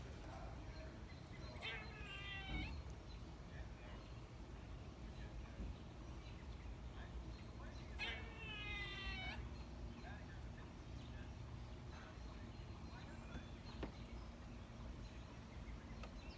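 A squirrel gives two bursts of nasal, wavering mews that sound strikingly like a cat.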